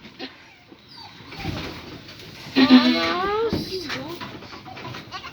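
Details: Boer goat doe in labour at night, close to 11 pm, giving birth with family helping; a drawn-out wavering bleat near the middle, among children's and adult voices and some background music.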